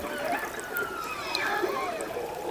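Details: In calm after a storm in freezing air, a killer whale pod calls excitedly, squealing tonal calls sliding and overlapping; its dialect carries far and tells another pod which group is calling.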